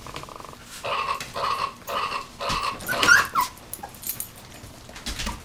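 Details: Puppies at 19 days old giving a run of short, steady, nasal whines about every half second, followed by a brief high squeak and quieter rustling.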